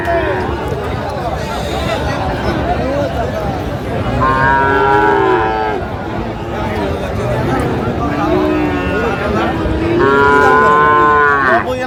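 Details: Friesian and crossbred bull calves at the Raniganj cattle market in Dinajpur, 15 January 2025. Two drawn-out, harmonic moos rise and fall several seconds apart over steady crowd chatter and bargaining voices.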